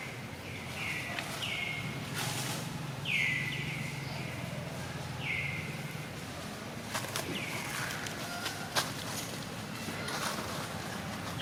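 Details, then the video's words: Newborn baby monkey lying on the ground, crying while it waits for its mother to pick it up and comfort it; a series of high, whistled cries that slide downward, about five across eleven seconds, with faint footsteps and outdoor rustling. "little monkey lies crying on the ground, waiting for its mother to pick it up and comfort it"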